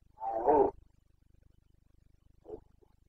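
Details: Boncănit rut of a Carpathian red deer stag, Bucovina mountains, 29 September 2022: a loud, raspy, harmonic roar lasting about half a second, then a brief, fainter grunt-like call two seconds later.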